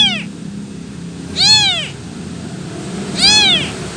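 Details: An abandoned, motherless kitten gives high, arching meows spaced a couple of seconds apart, calling for its mother.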